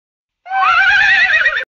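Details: A horse gives a single loud, wavering neigh that starts high and trails off.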